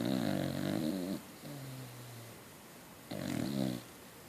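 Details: Norby the Beacock, a Beagle-Cocker Spaniel mix, snores in his sleep. A long buzzy rattle gives way to a steady low hum as he exhales, and another coarse snore follows about two seconds later.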